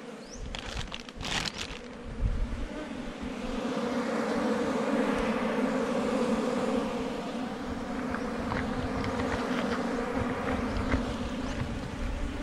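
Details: Wild honey bees swirling at a rock-sheltered hive in the forest during honey collection: rustling and thumps at the start, then a strong, sustained droning buzz that rises in loudness and stays level.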